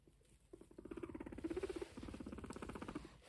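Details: Pet guinea pig eating grass fed by hand, with rapid, even crunching chews that run almost nonstop for about two and a half seconds in a quiet room.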